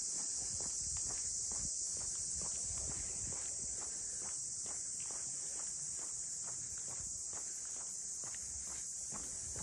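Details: In Ine, north of Kyoto, among the traditional funaya boathouses, a chorus of cicadas holds a continuous shrill buzzing drone, while walking footsteps tap steadily below.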